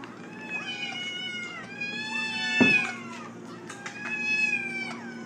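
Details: Domestic cats in a compilation, one disliking a bathtub; a series of drawn-out harmonic meows, some level and some falling, about every two seconds, with a sharp knock midway and low background hum.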